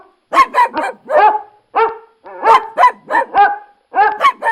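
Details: Dog barking in quick bursts of two or three sharp, mid-pitched barks separated by brief pauses, with some barks ending in a short, whining tail.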